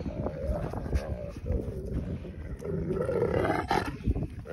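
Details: Adult wolfdogs Bear and Silas correcting Rain, an unruly puppy, in play; low rough growling with a rising whine near the end, a person talking over the animals throughout.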